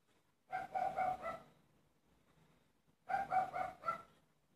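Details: Barking dogs in Waterside, Derry, recorded on 25 April 2019: two quick bursts of about three sharp, mid-pitched barks each, separated by a short pause, with a quiet background.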